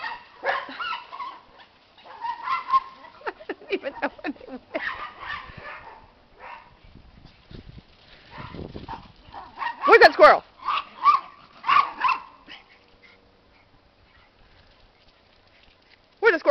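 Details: Miniature Pinscher pets, one called Maxi, excited by talk of squirrels. Irregular yips and short barks mix with a person's repeated questions about a squirrel, and a loud burst of barking comes near the middle.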